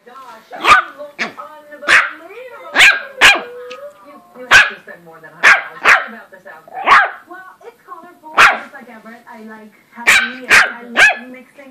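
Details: An 8-week-old West Highland White Terrier puppy gives sharp, high yapping barks in irregular bursts.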